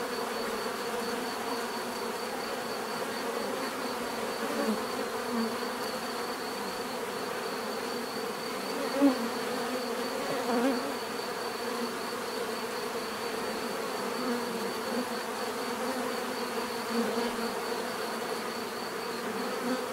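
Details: Bees buzzing in a natural setting, a continuous dense hum of many wingbeats with layered drones and a faint steady high whine, the swarm sound holding even throughout with only a brief louder pass near the middle.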